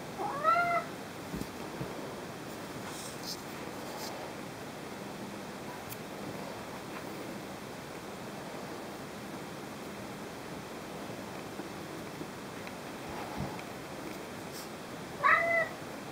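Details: Domestic cat vocalising to ask for toys, indoors: one short harmonic meow at the start and another at the end, with long quiet stretches and faint background noise between.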